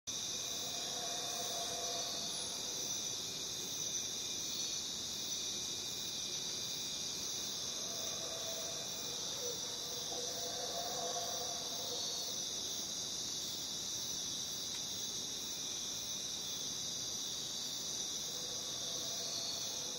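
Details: Jungle crickets in a dense, continuous chorus of high, steady trilling that fills the upper range throughout, with a second fainter band of pulsing chirps and a few soft lower sounds drifting in and out.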